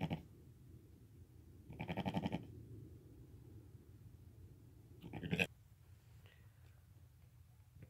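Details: Lambs less than five hours old crying while walking and nursing with their mother: two separated quavering bleats, the first longer and fuller, the second short and sharp, over a quiet low hum.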